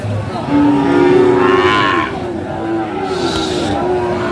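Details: Young bull calf, Friesian or cross breed aged around five or six months, at Aftabganj livestock market, Dinajpur, 2 October 2024: one loud, full, rising-then-falling moo of about a second and a half, with low voices talking behind.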